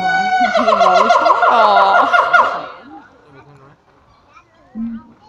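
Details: Zoo siamangs at Taronga Western Plains Zoo. A tight, rapid series of loud, trilling, rising whoops over low booms runs for about three seconds. It fades, then one short low boom follows.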